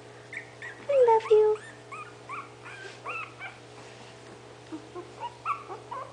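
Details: Itsy Bitsy's litter of five puppies, 20 days old, whimpers while waiting to be fed by their mother: two clear high whines early, then scattered short squeaky yips and whimpers.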